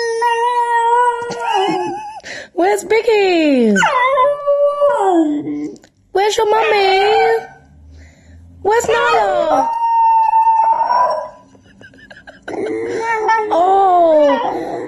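A Basenji yodels in long, wavering tones that slide up and down, with short breaks between bursts.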